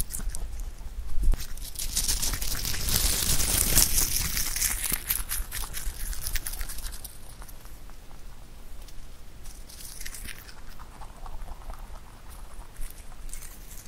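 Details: A pet rabbit named Huchu eats clover in close-up: dense, irregular crunching and tearing, about four bites per second, with rustling of leaves and a brief loud crinkle near the fourth second.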